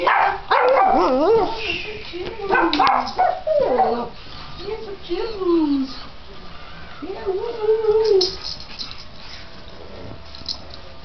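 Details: Mia, a Japanese Chin from Japanese Chin Rescue, NC, two days in her new home, playing with Chins Bella, Phatboy and foster Flynn; a string of wavering, sing-song whines and yodel-like grumbles rising and falling, with faint voices.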